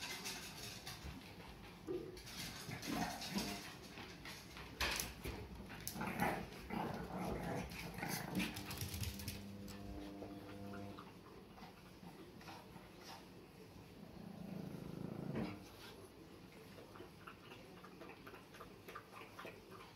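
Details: Two Pekingese, Peko aged one and Poko under one year, bark at a toy that squeaks, filmed October 2018. Short, sharp, irregular barks come in quick bursts. A drawn-out tonal squeak from the toy is heard midway, then a low muffled sound.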